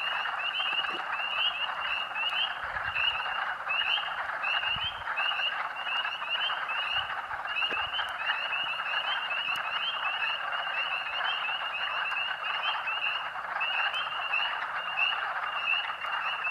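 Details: A dense chorus of thousands of spring peepers at Rothrock State Forest, Huntingdon County, Pennsylvania, on March 11, 2012, in early spring: countless high, piercing peeps blending into a continuous shrill ringing, audible for almost half a mile.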